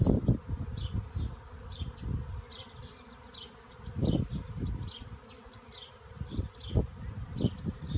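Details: Swarm of bees in a cherry tree: low, droning buzzes rise and fade in uneven bursts as insects pass close, loudest around the fourth and seventh seconds, with faint high chirps scattered above throughout.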